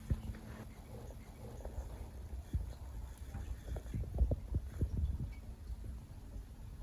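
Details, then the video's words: Leo, a Siberian cat, sleeping indoors after a long day and deep into a five-hour nap: low, rumbling snores and soft throaty pulses, quiet at first, then a denser run of short thuds near the end. "LOUD Snoring, Grunts"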